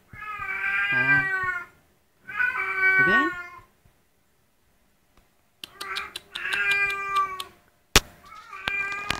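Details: A 50-day-old blue British Shorthair kitten, recorded in May 2011, gives long, drawn-out meows, some bending upward or downward in pitch.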